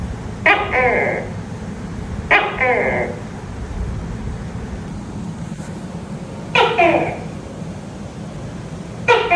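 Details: Tokay gecko at night giving repeated abrupt two-part croaks, each a quick harsh bark-like syllable, spaced two to four seconds apart, four calls in all, over continuous low nighttime background hiss.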